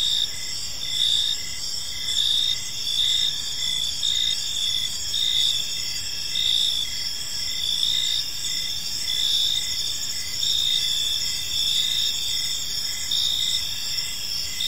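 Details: Crickets chirp in a park during the evening, overlapping high pulsed notes forming an unbroken chorus that rises and falls slightly, faint ambient hiss beneath.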